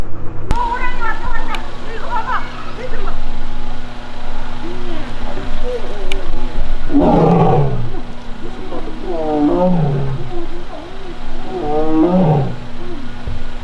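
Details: Annoyed young Korean tiger Taebeom in the Baekdudaegan National Arboretum tiger forest, South Korea, August 1. After a quieter start, three loud, harsh moans slide downward about every two and a half seconds, with a constant low engine-like hum behind them.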